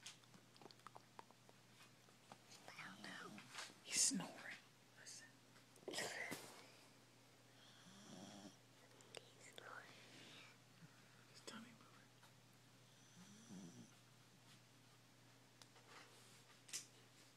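A Corgi snores softly, with breathy, rasping snores recurring every two to three seconds.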